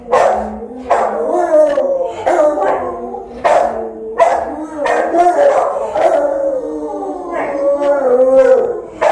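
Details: House-guarding Rottweiler recorded by a phone camera left running while its owner was out: a string of loud, yowling barks with wavering, half-howled tones, bursts coming every one to two seconds.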